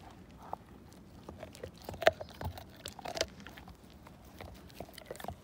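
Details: Pet Siberian Husky named Slim working a bone to nothing, with quick irregular clicks and cracks of teeth against bone and one louder snap midway.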